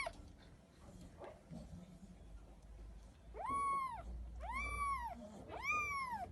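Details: Little kittens meowing; three rising-then-falling high meows in quick succession in the second half, after a quieter stretch with faint background noise.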